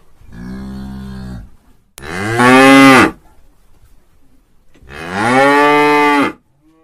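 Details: Cow lowing as a free-use sound effect: a softer, lower moo followed by two loud, bright moos of roughly one to one and a half seconds, with quiet pauses between.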